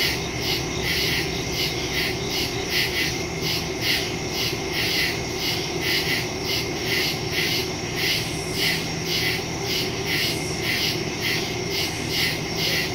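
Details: Night chorus of crickets in the woods, recorded September 2, 2023 on a Samsung Galaxy S22 Ultra using a Shure MV88+ stereo microphone; dense, high-pitched pulsing chirps repeat nearly once per second throughout, over steady background hiss.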